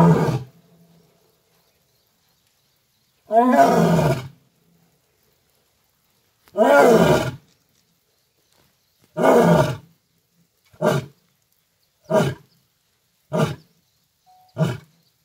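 A lion roars in a full bout: long, deep moaning roars that break into shorter grunts.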